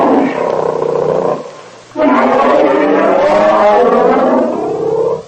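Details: Grizzly bear giving two drawn-out, throaty roars, the first about one and a half seconds long and the second a sustained, rumbling, slightly wavering roar lasting over three seconds.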